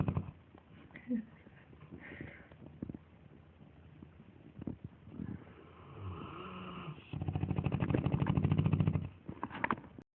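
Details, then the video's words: Lilly May and Eric, sleeping Dogue de Bordeaux dogs, snore loudly indoors; scattered snuffles and breaths lead into a sustained, low, buzzing snore of about two seconds near the end. "Douge de bordeauxs snoring"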